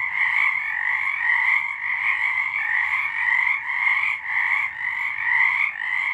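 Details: Nighttime frog song recorded in March 2023: a thick, continuous chorus of fast pulsed trills at two steady pitches, loudness rising and falling gently in roughly half-second waves, no other sounds.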